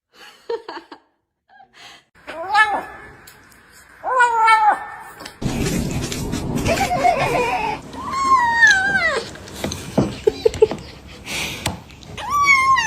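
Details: Pet cat in a funny compilation giving loud, drawn-out wavering meows and caterwauls, several in a row with rising and falling pitch, amid laughter, background music and people talking.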